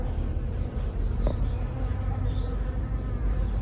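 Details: A low, steady droning hum of tame bees, with a bumblebee among them, working a sunny garden plant with silvery leaves and pink flowers close by.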